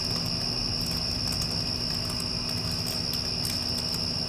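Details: A continuous shrill cricket trill holds a single high pitch after a storm has passed. An air conditioner drones low and heavy throughout, and a few soft clicking specks break in.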